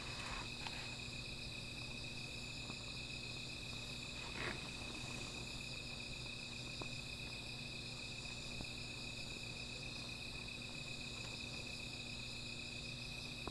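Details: Nighttime insect chorus by a small fire: an even, high-pitched ringing trill never stops, with occasional soft crackles and a couple of brief rustles scattered through.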